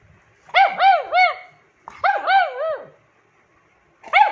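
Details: Ju, a 9-year-old rescued female pug, the loudest of her pack, demanding attention: short groups of two or three bouncy, arching yelps run together, followed by one more yelp after a silent gap.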